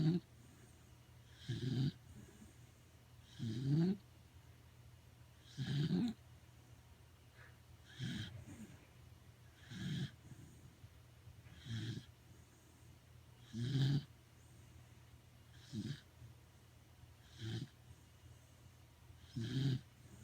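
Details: Corgi dozing comfortably at home, producing a long series of low, gravelly snores about every two seconds, some with a rising nasal whine, others softer and shorter, in a quiet room.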